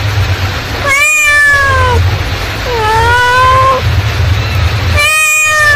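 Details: Mother cat calling: two long harmonic meows, the first falling, the second rising then level, about two seconds apart, with a third starting at the end, over steady low background hum.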